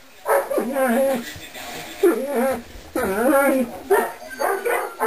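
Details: Weimaraner and English Setter mixed puppies, two and a half weeks old, just starting to move around; repeated wavering whines and squeals in quick bursts, several overlapping, with a steady high electrical whine behind.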